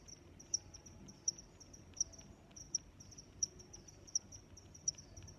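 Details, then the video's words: Chirping cricket heard as crisp, high chirps spaced evenly at roughly 0.7-second intervals, softer trills of distant crickets filling the gaps, low steady ambient noise beneath. "Sounds of Crickets"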